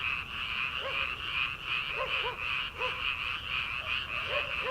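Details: Frogs calling from rice paddies in early summer, before rice transplanting, at late night: short bright croaks in quick clusters every second or so, over a steady high droning chorus.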